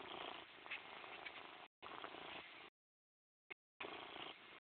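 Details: Close, rasping purr from Morris the cat in three long stretches divided by brief silences, steady and even in loudness with no other noises.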